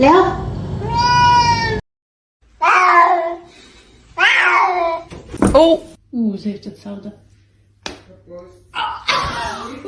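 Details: Domestic cat meowing in a funny pet compilation: a long, loud harmonic meow, then several shorter wavering meows with pauses between them, mixed with human speech and exclamations.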